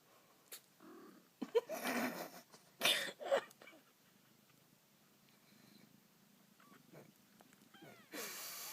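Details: Kitten sneezing into its mother's ear: several short, sharp, hissing bursts around the second and third seconds, then near quiet with faint soft sounds, and a final sneeze-like burst at the end.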